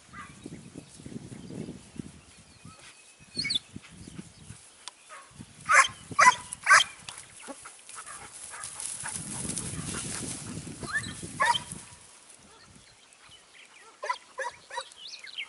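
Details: Segugio Italiano hound in Evros, 29 May 2019, giving a few scattered distant barks in short bursts, separated by stretches of rustling ground noise, with thin bird chirps in the background.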